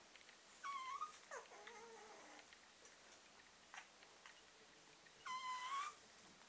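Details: Young German Pinscher puppies, whose eyes opened that day, give two thin, rising whimpers about four seconds apart, each under a second long, with soft shuffling and scratching noises between them.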